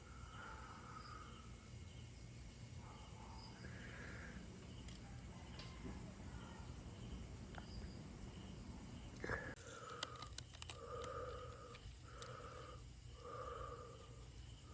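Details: Stray puppy, retriever-like in looks, that wandered in late at night in Dauin, Negros Oriental, Philippines, and was taken indoors, crying nonstop. Soft tonal whimpers come in short scattered bursts, then four evenly spaced cries near the end, over a steady low hum.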